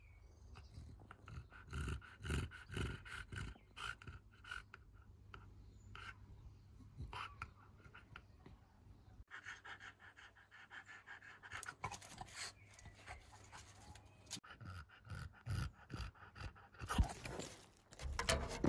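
An English bulldog breathes noisily, with rhythmic snorting, wheezy pants and rough nasal snuffles.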